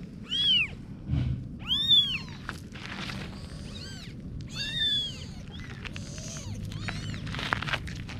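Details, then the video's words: Little kittens mewing repeatedly, several arched high-pitched meows in quick succession, some overlapping, with soft clicks and rustling between calls. "Little Kitten Adventures (New Video) - Kitty Video Meowing"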